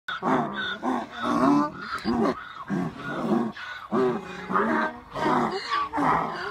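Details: Donkeys braying together in a bray-off at a donkey sanctuary in Manchester on 21/04/2018. Harsh, rhythmic hee-haw brays pulse in rapid alternating wheezy breaths, about one and a half per second, with several voices overlapping.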